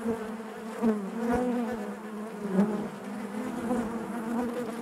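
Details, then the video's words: Honey bees humming inside the hive. A low, even drone with layered overtones runs throughout, broken by a few brief louder bursts as individual bees pass close. "bees therapy hive natural buzzing sound"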